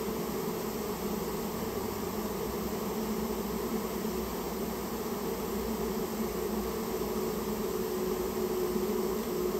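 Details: Japanese honey bees from a nest in a storehouse, disturbed during removal; a steady loud colony hum with a whining tone sliding gently through it, swelling slightly toward the end.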